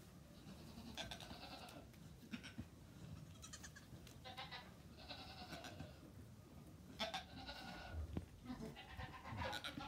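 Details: Goats on a family farm where kids were born in April; a series of wavering, harmonic bleats, each about a second long, recur every couple of seconds over a low rumbling background.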